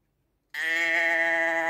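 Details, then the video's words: Sheep giving a single long, steady, nasal bleat that starts abruptly after a short silence and holds an even pitch to the end, with no other sounds. "ASMR Schaafgeräusch 1 Stunde Sheep sound"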